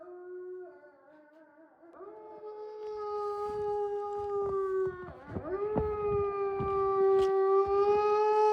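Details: Wolfdogs, descendants of wolves, howling in an enclosure at Wolfdog Forest in snow-covered Hokkaido, Japan: long sustained tones that step up in pitch after two seconds, dip and swoop back near five seconds, then hold steady as voices overlap; faint clicks beneath.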